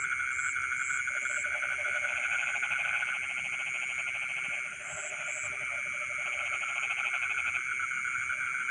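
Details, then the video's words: Rice-field frogs calling at night, rattling pulsed croaks in clustered runs that fade briefly mid-way then resume, set against a constant high-pitched insect hum and a few sharp high chirps. "the sound of frogs singing in the rice fields in the middle of the night"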